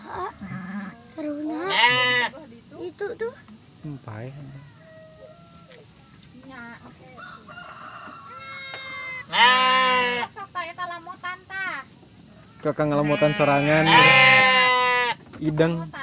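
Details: Garut sheep ewe delivering triplets: a short bleat early on, then a pair of strong trembling bleats midway and a long, loud, wavering bleat near the end, with quieter noises and faint talk between.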